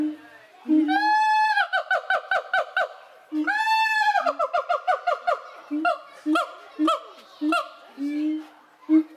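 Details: Captive siamang gibbons at Cotswold Wildlife Park yell at the watching crowd. Long rising whoops swell and break into rapid barking notes, a second swelling whoop follows, then spaced sharp barks with low hoots between them.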